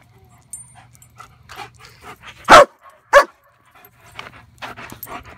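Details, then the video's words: German Shepherd attacking a flashlight lets out two loud, abrupt barks about half a second apart. Softer scuffling, panting and low rustling fill the rest of the clip. "German Shepherd ATTACKS Flashlight!"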